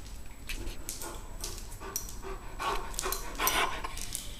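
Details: Blue Weimaraner, a foster rescue dog, hungry and impatient at meal time while its soaked food is prepared: rapid, breathy panting in quick regular bursts, growing louder toward the end, with faint indoor background noise.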